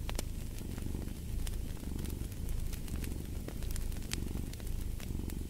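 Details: Close, rumbling cat purr with rhythmic breathing swells, set against a fireplace whose crackles and sharp pops come through often, in a sleep and relaxation ambience.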